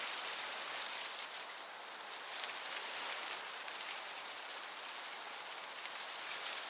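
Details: Summer meadow with a gentle breeze rushing evenly until a cricket's high, steady trill breaks in near the end and holds for about two seconds.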